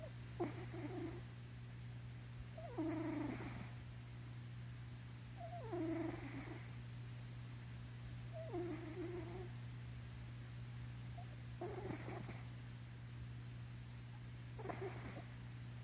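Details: Sleeping on his owner's lap, the cat Blynken snore-purrs: about six breathy, rattling inhalations spaced roughly every three seconds, each carrying a low wheezy tone, with a steady background hum.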